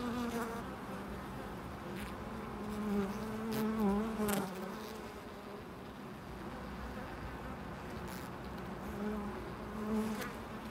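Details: Bees buzzing at a loading dock, several wavering fly-by hums swelling around three to four seconds and again near ten seconds, with quieter droning between and a low steady hum beneath.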